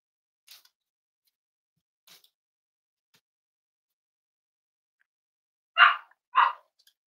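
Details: Indoors at a home raising emotional support animals on a warm Friday morning, a Cavalier King Charles Spaniel gives two quick loud barks in close succession near the end, after faint soft clicks and rustles.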